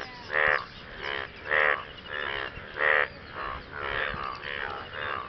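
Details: Frogs calling to partners after rain, short harmonic croaks roughly every 1.3 seconds, alternating louder and softer calls, quiet background.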